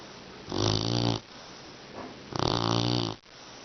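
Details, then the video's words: Sleeping English Mastiff puppy Beauty, tired after off-leash sit training, gives two rumbling, buzzy snores with hissing tops, about two seconds apart, in a quiet room. "Funny Snoring Mastiff Puppy"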